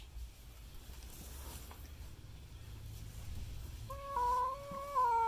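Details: Cat frightened by a custom painted goat skull mask, giving a drawn-out, low, wavering yowl with rich harmonics that starts late and holds steady to the end, over a quiet room background.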